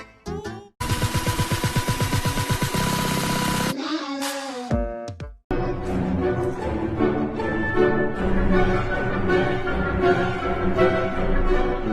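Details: Loud music with drum-like beats and abrupt cuts between sections, with brief bursts of sound effects and no animal voice.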